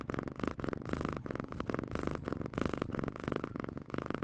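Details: Domestic cat purring steadily in rhythmic pulsing bursts, each burst lasting about half a second with short breaks between, a low continuous rumble rising and falling with each breath.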